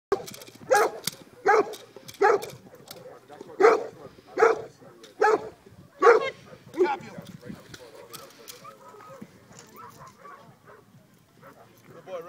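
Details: Cane Corso barking during a Mondio ring face attack on a decoy at an open-field trial, 17 February 2012; eight deep, forceful barks about every 0.75 seconds, then fading voices and a handler's shouted commands.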